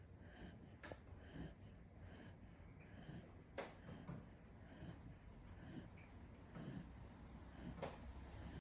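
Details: Sleeping Kishu dog Kinchan snores indoors, giving quiet, breathy, low rumbling breaths at a loose, uneven pace, interrupted by a few sharp clicks and small knocks.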